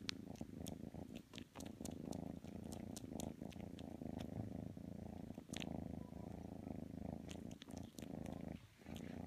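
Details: Kitten Matsumoto, wanting to snuggle with pit bull Tanka, gives a continuous deep purr with brief dips between breaths, accompanied by scattered faint clicks and rustling.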